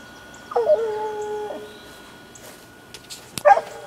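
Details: Six-month-old female Black and Tan Coonhound working a laid coon trail: one drawn-out howling bawl holding steady for about a second, then a short bark near the end, with faint rustling between.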